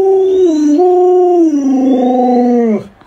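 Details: Pet Alaskan Malamute Luoluo howling during a game of hide and seek with its owner. One sustained, mournful howl holds a steady tone, dips, rises briefly, then glides lower before fading out.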